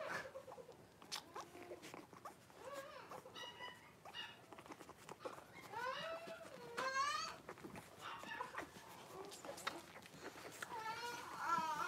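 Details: Five blenheim Cavalier King Charles Spaniel puppies, about four weeks old, born on New Year's, in a home puppy pen with their mother Paris on 26 January 2023. Thin wavering high squeals and whines rise and fall, with soft rustling and shuffling.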